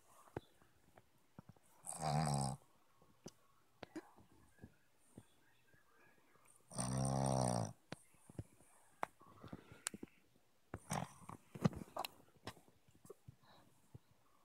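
A sleeping Boston Terrier snores loudly, with deep rattling breaths about every five seconds.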